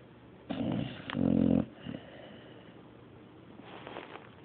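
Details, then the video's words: Sleeping dog named Mario snores with one rough, rattling snore lasting about a second, followed by a softer breath and fainter wheezy exhalation near the end. "Mario snoring III"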